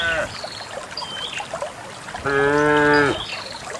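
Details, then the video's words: Cattle, dozens of cows walking out toward a green valley on a quiet morning along wet paths through wild grass; one long, steady, even-pitched moo lasting about a second, amid trickling water and a few faint chirps. "the distinctive sound of cows"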